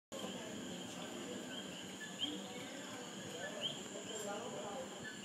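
A coqui frog gives short, high, upswept chirps every second or so over a steady night chorus.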